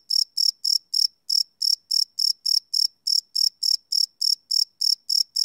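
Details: Crickets chirping after dark, live field recording on a Sony PCM D100: sharp, ringing high pulses about three to four per second, slightly uneven spacing with a skipped beat near the start, no other sounds.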